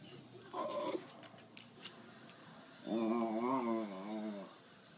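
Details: West Highland White Terrier "talking" while asking for his treat indoors. A short nasal note comes first. After a pause, a longer wavering, moan-like whine rises and falls for about a second and a half, then stops.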